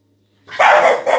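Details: English bulldog around mealtime, hungry before and after eating, gives a single short, hoarse bark, a loud burst of under a second that breaks into a brief second note, in an otherwise quiet room.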